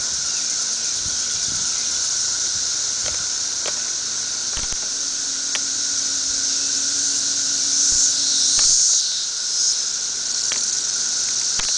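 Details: Periodical cicadas of a thirteen-year emergence, massed all over a tree at densities of many thousands per acre, make a loud, steady, shrill hissing chorus that never breaks, with a fainter lower hum beneath, a swell near eight seconds and scattered clicks.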